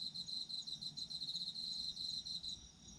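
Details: Crickets among autumn insects trilling continuously in quick pulses, bright and high-pitched, easing off in the last half second; faint additional insect voices sit above.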